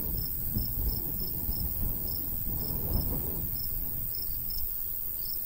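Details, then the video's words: Cricket chirping in a summertime rural wheat field. Short, high chirps come at about three per second, with brief gaps. Gusty low wind noise swells beneath them. "Countryside/cricket sounds"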